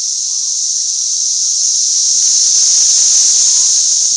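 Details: Tennessee cicada swarm around a parking lot: a dense, continuous shrill buzz, high and steady, swelling slightly louder toward the end, with no other clear sounds.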